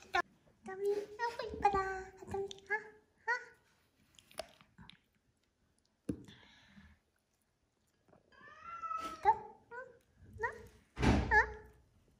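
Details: Small-bodied boss cat that has risked its life to hold its leader position: several harmonic meows in the first three seconds and again near nine to eleven seconds, with people talking and handling noises between.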